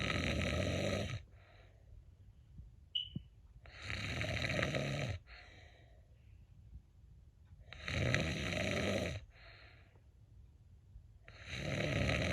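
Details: Indoors, a cat snores in its sleep with rough, hissing breaths that come about every three to four seconds and fade into quiet pauses between them.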